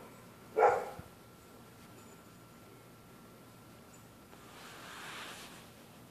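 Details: A neighbour's dog barking at night at people passing on the public sidewalk: a single loud bark at the start, then only a faint steady hiss and a low rushing swell.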